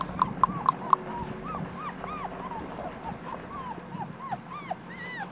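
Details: Australian Shepherd puppy, a black tri female nearly four weeks old, held and cuddled at an Oklahoma farm, making thin rising-falling whimpers about four per second, starting with a few sharp squeaks, then softer whines.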